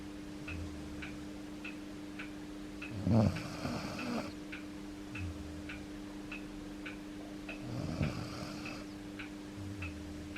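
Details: Yuki, an aging Akita dog, asleep indoors with his head resting on a person's foot, snoring in two loud rasping, breathy bursts several seconds apart, with a clock ticking steadily and a faint hum throughout.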